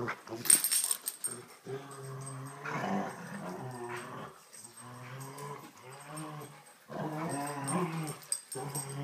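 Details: Rottweiler growling while playing tug of war indoors: long, low harmonic growls held for a second or more, several in a row with short breaks, plus scuffling and some faint voices.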